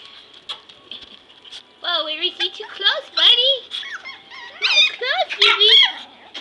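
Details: Five Pomeranian puppies playing on the floor around a person lying among them; high squeaky yips and short whines rise and fall in bursts, with quiet patter and a steady faint high hum indoors.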